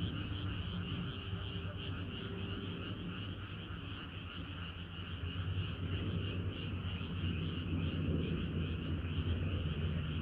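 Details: Many frogs singing together on a hot summer night: a continuous pulsing chorus of mid-pitched trills over a steady low rumbling hum that runs underneath throughout.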